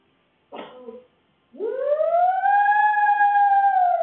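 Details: Fudge, a Shih Tzu poodle cross dog, howls while home alone, recorded on a CCTV camera: a short whimper, then one long rising howl that holds a steady pitch and sags slightly at the end, in a quiet room.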